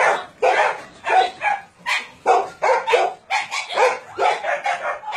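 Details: Dogs kept at a Nonsan, South Korea puppy mill and meat farm, January 2017, with breeds like Doberman, Shar-Pei, Chow Chow and Golden Retriever; steady sharp barks about every half second, overlapping voices forming a rhythmic din.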